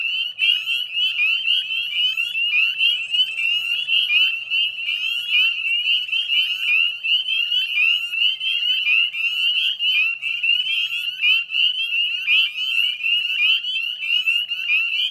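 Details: Dense dusk chorus of northern spring peepers beside a salt marsh in West Chezzetcook, Nova Scotia, on 18 May; countless sharp upslurred piping peeps overlap into a steady high-pitched ringing, with a faint low rumble beneath.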